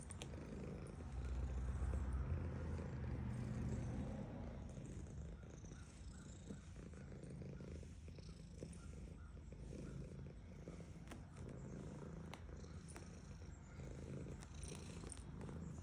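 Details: Petted female domestic cat purring; the low rumble is loudest over the first four seconds, then continues as a quieter, rapid pulsing hum beneath scattered clicks and handling noise.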